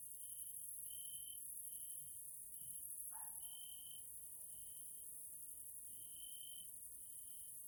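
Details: Grasshoppers stridulate in bursts of buzzy chirring over a steady, high-pitched insect hiss, in a Hungarian nature area in the evening.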